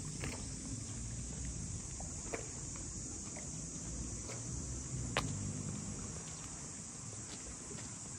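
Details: High, level buzzing of cicadas fills the air along the waterfront houses of Ine no Funaya near Kyoto. Occasional sharp taps and a soft low rumble run beneath the drone.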